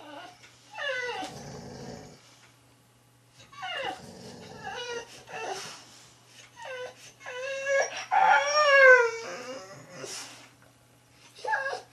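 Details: Boxer dogs Brandy and her son Romyto indoors, the son wanting the other tennis ball back: loud, high whines and yips that rise and bend, coming in bursts of several notes separated by short pauses, over a low steady hum.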